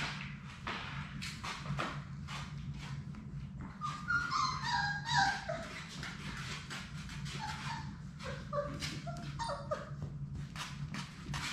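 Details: Labrador Retriever puppies, six from Sadie's litter, at play in their puppy play room: high, thin whimpers and squeaky yips rise and fall in short bursts, busiest in the middle, over a steady low hum and soft clattering.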